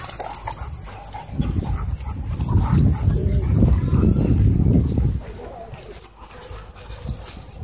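A Miniature Pinscher gives a low, rumbling growl as a warning when harassed.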